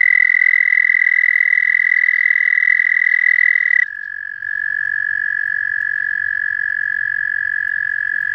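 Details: An American toad gives its long, steady, high musical trill while calling for a mate at Ojibway Prairie, recorded from muddy pond water.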